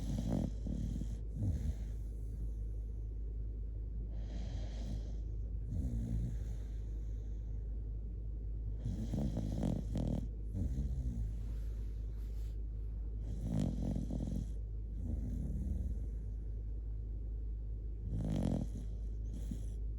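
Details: A Shiba Inu named Kotetsu sleeps cuddled up and snores loudly: rhythmic rasping, rumbling snores roughly every two to three seconds, some with a snorting edge, over a low steady hum.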